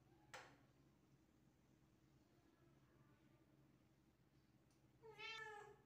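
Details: Domestic cat indoors, trying to catch a gecko; a sharp click early on, then a short, clear, harmonic meow near the end over a low steady room hum.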